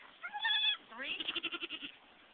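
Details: Domestic goat on a farm, a nanny giving birth to three live kids: a brief harmonic bleat, then a longer wavering bleat that rises at its start and shakes in quick, even pulses for almost a second.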